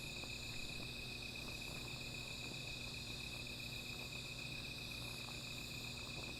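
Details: Night-time insect chorus by a small fire, a continuous high trill that never pauses, layered with thinner upper tones, faint soft ticks, and a low steady drone in the background.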